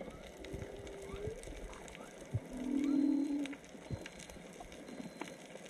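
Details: Whale song heard underwater while snorkeling off Onna village, Okinawa, probably three to four whales: a long low moan swelling loudly mid-clip, a fainter higher drawn-out tone before it, over constant crackling snaps.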